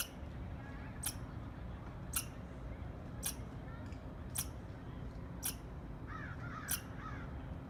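A squirrel gives sharp, clicky chirps, evenly spaced about once a second, over a low rumble.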